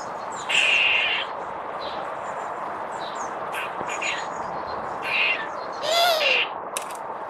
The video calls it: Barking mad Squirrels.